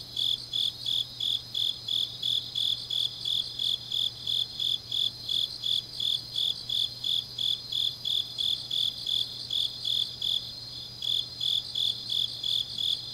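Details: Late-night autumn grass insects in Changnyeong, South Gyeongsang Province: a steady train of shrill, evenly spaced chirps near three per second, backed by layered buzzing of other insects that briefly drops out near the end, plus a low hum.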